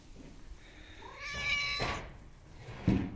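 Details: Hungry homeless cat meowing for attention: a faint rising then falling meow lasting about a second, followed by a soft breathy burst and a thump near the end.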